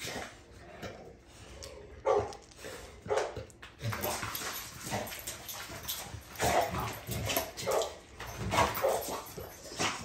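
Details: Navi, a female dog, makes a run of scratchy, uneven bark and grumble bursts that grow busier in the second half, over steady background noise.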